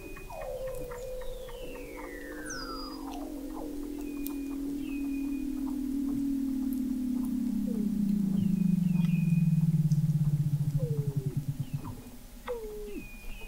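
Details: Weddell seals under the frozen Southern Ocean sea ice of McMurdo Sound, Antarctica, November 2017, from a seafloor observatory 21 m down: a long gliding descending moan sinking into a pulsing low buzz, with scattered short downward chirps from other seals.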